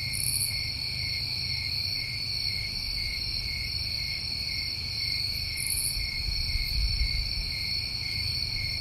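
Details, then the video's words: Crickets on a summer night in New England hold a steady, high, layered trill, while two short, very high chirps break in at the start and near six seconds, over a low hum. "Tinnitus Masking With Crickets"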